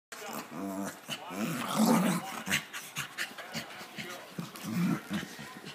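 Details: Boxer and pug puppies playing together, giving short rough harmonic growls in three bursts near the start, middle and end, with soft panting and a human voice in between.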